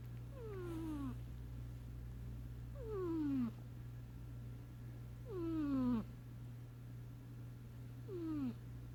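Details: Sleeping cat Sasha snores in four whistly, downward-sliding tones spaced about two and a half seconds apart, each one clear and harmonic-rich, with a constant low electrical-sounding hum underneath.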